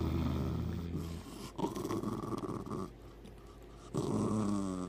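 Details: Morning grumbling from Hercules, a moody pet dog who still loves hugs and kisses: deep, droning growls in short bursts, breaking off and resuming, indoors.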